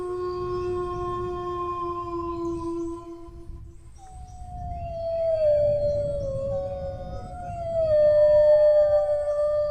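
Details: Dog howling: a long, steady low tone for about three seconds, a short pause, then a higher drawn-out howl that slides slowly downward, with a second wavering voice overlapping near the end.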